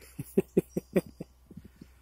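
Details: Masked titi monkey (Callicebus personatus) calling to mark territory and drive off other males of its species: a quick run of short, low, throaty pulses, about five in one second, then fainter, softer pulses trailing off.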